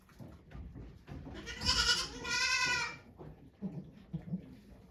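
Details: Goat named Okayu giving birth to two kids at Yoshigake Farm, Japan, 3 May 2023. A single strained, quavering bleat lasts over a second, framed by soft rustling and low voices.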